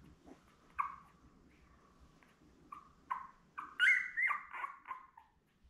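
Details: Labrador Retriever puppies born May 24, 2021, seven in the litter, lying with their mother Belle indoors; short rising whimpers come in quick succession, building to a louder, squealing cluster of overlapping cries near the end.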